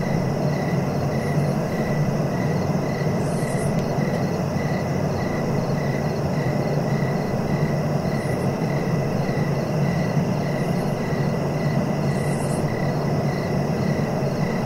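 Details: Crickets keep up an unbroken, regular chirp of quick pulses several times per second, partly masked by a strong low droning background, with scattered faint high buzzy bursts.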